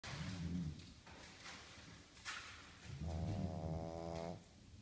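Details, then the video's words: Pet pug dog snoring, deep rasping low snores in rhythmic bursts, one longer buzzing snore near the end with a fluttering tone. "Pug snoring louder than owner"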